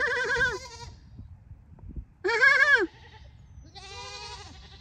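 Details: Fainting goat Lulu, coaxed by name into her odd call, unlike most goats; three harsh, quavering bleats, the middle one loudest, each under a second long.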